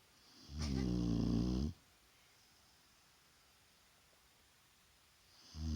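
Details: Daytime nap of a Shar Pei called Vaya: one loud, deep, buzzing snore lasting about a second, a long quiet pause, then the next snore just starting at the end.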